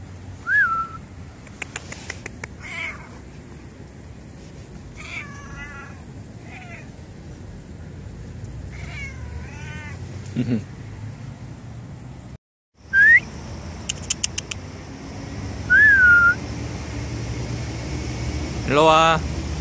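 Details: Stray cats at a library, coming when called, give several short meows, some rising and some wavering, spread through the clip, with thin whistled notes and faint clicks between them.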